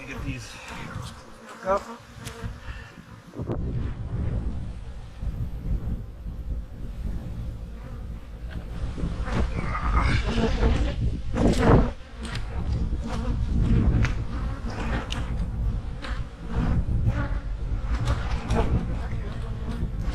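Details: Honey bee hives in autumn, tended during fall preparation for winter: a dense, steady low hum of many bees fills the recording, with scattered sharper buzzes of individual bees and brief handling noises.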